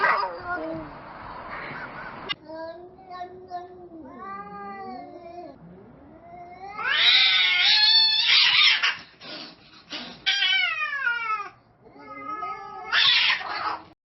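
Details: Domestic cats escalating from meowing to a fight: long wavering yowls with stacked harmonics rise and fall, then break into loud harsh screeches around the middle and near the end, set in a small indoor room.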